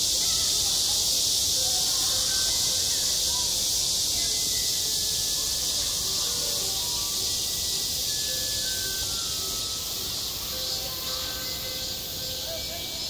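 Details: Cicadas singing on a school playground in midsummer: a dense, unbroken high-pitched buzzing chorus holds steady throughout, with faint scattered tonal notes lower down in the background.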